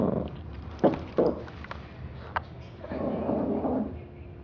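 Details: Small dog Roses tearing at a teddy bear, with short guttural snorts and sharp bursts early on, then a low rumbling growl lasting under a second toward the end, amid soft thumps of play.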